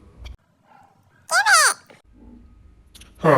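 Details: Indoors, a Basset puppy fights with its brother after one steals a toy; a single short, tonal whine arches up then down in half a second, with soft rustling around it and a loud burst at the end.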